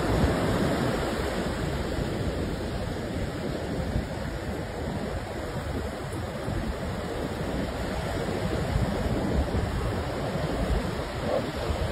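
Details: Loud, steady rushing wind noise buffets the microphone, like surf or flowing water, with nothing else standing out.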